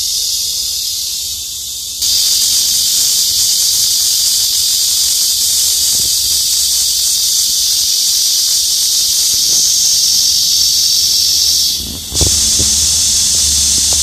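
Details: Cicada singing in summer from the branches of trees along a daily route to work: a steady, dense, high-pitched hissing buzz, softer for the first two seconds, with a brief dip near the end before resuming.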